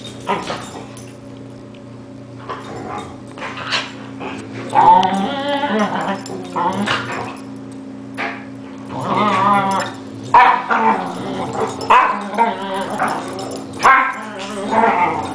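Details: Dogs Yumi, ten months old, and Louis in a play fight, round three: bursts of short barks, yips and whines scattered over fifteen seconds, with human voices mixed in between.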